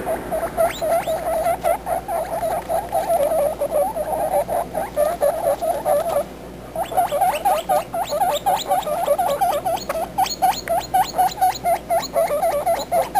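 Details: Baby guinea pigs talking: rapid, continuous chirps and squeaks around a steady mid pitch, many short notes per second with sharp rising overtones, briefly pausing midway before resuming even denser.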